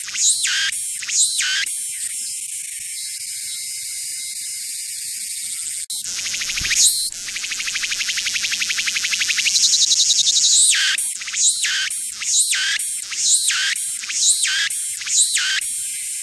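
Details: A cicada on Hwangnyeongsan mountain, Busan, on 9 August 2019, its abdomen visibly resonating, sings loud, high, shrill phrases that swell and fade in a quick repeating rhythm.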